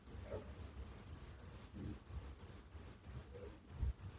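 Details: Village crickets calling at night, a loud, shrill chirp train of evenly spaced pulses roughly three per second, a second cricket overlapping at the start, faint low background hum.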